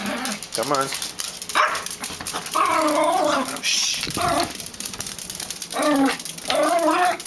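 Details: Pebbles, a female Yorkshire Terrier, throws a temper tantrum over her toys: wavering, whiny growl-like vocal bursts rise and fall in pitch, repeating in short runs between pauses, with a person's voice speaking nearby.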